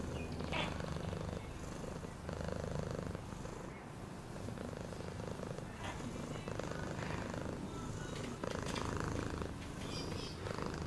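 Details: Continuous low purring from a cat, rhythmic and buzzing, swelling slightly in loudness at times, with brief faint clicks and handling noise.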